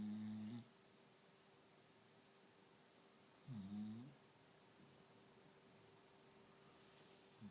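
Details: Little pet dog dozing off, letting out short, rough, low snores about three seconds apart, each rising and falling slightly in pitch, over a quiet room with a faint constant hum.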